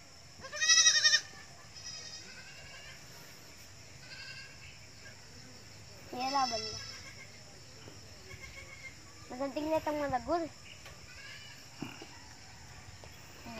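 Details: Goats in a small herd whose numbers are starting to grow, with a loud wavering bleat near the start and quieter bleats around six and ten seconds, over steady background hiss.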